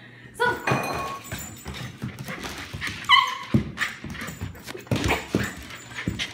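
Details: Husky indoors on a freshly mopped, slippery floor, slipping around and trying to sit on its owner's feet; tonal, harmonic whining calls near the start and a higher, rising whine at about three seconds, with scrabbling, thumps and a person speaking.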